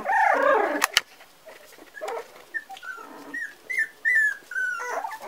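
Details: A four-week-old Parson Russell Terrier puppy lets out a few drawn-out, slightly falling whines after a brief louder scuffle at the start, with quiet spaces between calls.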